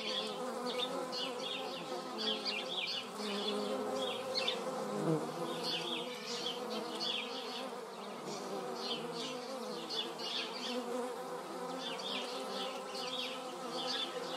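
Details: Hornets meeting in flight in a garden in the Eifel, Germany, make a deep, droning buzz that swells and sweeps in pitch as they pass close.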